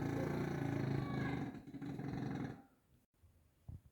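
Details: A bulldog named Grizzly gives one long, rough, low-pitched snore of fast regular pulses lasting over two seconds, fading into near silence with a small knock at the end.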